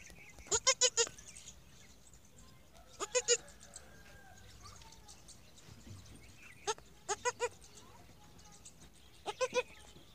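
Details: Newborn goat kid on its first day on a goat farm, giving short high bleats in quick bursts of three or four, repeated every two to three seconds, with quiet background noise between.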